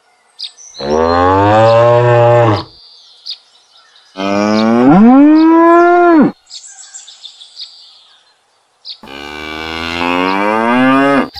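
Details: Domesticated cattle in a herd: three long, loud moos, each about two seconds, rich and harmonic, the second rising then falling in pitch, separated by near silence with faint bird chirps.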